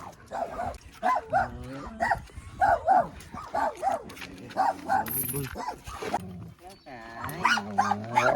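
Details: Two German Shepherd dogs meeting, one giving a run of short, high, ringing yelps in quick succession, some doubled, while people talk in Filipino close by.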